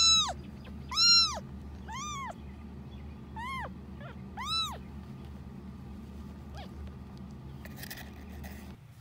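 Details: Early footage of Annie, an abandoned kitten found May 6, 2018 at only ten days old: a run of six thin, bent meows in the first five seconds, some short and clipped, then quieter hum and a faint rustle.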